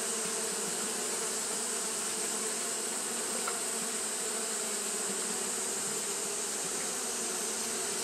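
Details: Fanning Japanese honey bees on a hot day produce a continuous deep buzzing hum, rich in overtones and steady in loudness, with a faint brief click midway and a persistent high hiss.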